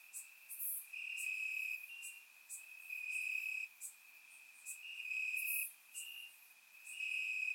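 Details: Crickets in the grass of Bulgaria on a warm summer night, recorded in surround: a constant high trilling hum that pulses louder every second or so, overlaid by scattered sharp, very high chirps from neighbouring insects.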